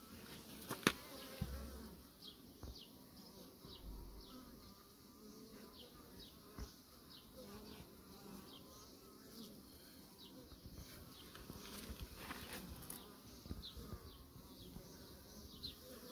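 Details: Honey bees kept by beekeepers, a steady low insect hum with many short buzzy passes of individual bees flying by, a few clicks and faint background noise.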